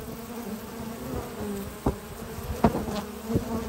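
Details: Brief spring-morning recording at a honey bee hive as pollen-laden foragers arrive: a constant deep hum with a few distinct clicks and short rises in buzzing.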